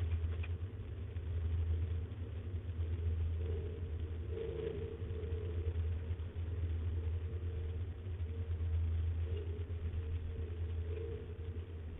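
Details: A steady low engine rumble, like an idling vehicle, fills the recording, with no animal calls standing out.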